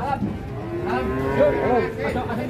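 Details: Angry cattle coming down off a truck in Indonesia, a drawn-out moo with wavering harmonics that bends up and down, heard over crowd chatter and background music.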